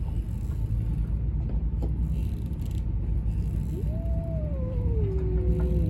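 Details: Stray street cats preparing to fight: one drawn-out, wavering yowl begins near the fourth second, slides slowly downward and then holds steady, over a constant low rumble like passing traffic.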